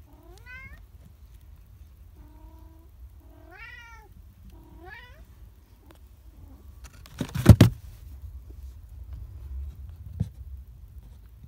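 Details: A mother F1 Bengal cat caring for her charcoal newborn kitten gives several soft meows, some arching up and down, one flatter and lower.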